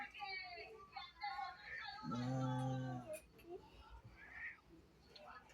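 A pug lets out a deep, rumbling snore lasting about a second, between stretches of human speech.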